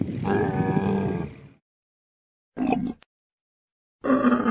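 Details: Camel giving a long, harmonic, rasping groan lasting over a second, followed after silence by two shorter throaty bursts.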